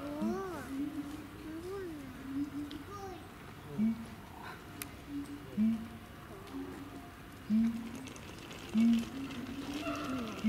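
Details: Captive siamang at Chiba Zoological Park, Japan, giving wavering, looping hoots that rise and fall, broken by short loud low barks roughly every one to two seconds.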